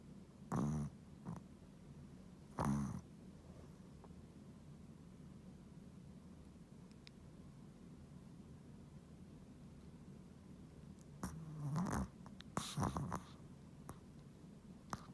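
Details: A sleeping Chihuahua snoring: a few louder snorting breaths near the start and again around eleven to thirteen seconds, with a soft low rumble of breathing in between and otherwise quiet surroundings.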